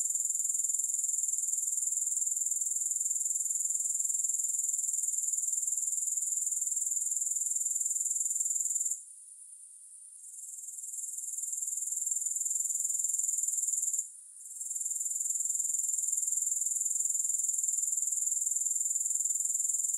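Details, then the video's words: Steady high-pitched insect chorus of grasshoppers, a dense shimmering trill pulsing roughly four times per second, with two short gaps where the sound dips away and then slowly rebuilds. "Grass Hopper Sounds"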